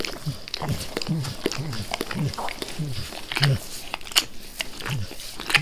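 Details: Max, a dog that always wants to lick his owner's face, licks vigorously: crisp wet clicks and slurps with occasional brighter, louder smacks, fairly fast and uneven.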